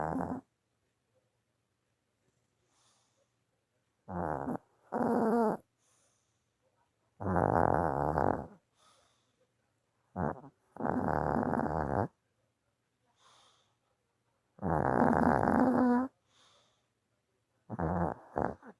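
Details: A tired dog snoring while asleep indoors: rough, buzzy breaths in irregular bursts of one to two seconds, separated by silent pauses.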